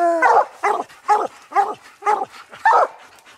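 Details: Coon dog barking at a raccoon treed during a hunt, with old Lucky, aging Mossie and young Star present. Six short, evenly spaced barks, about one every half second, opening with a brief tonal whine.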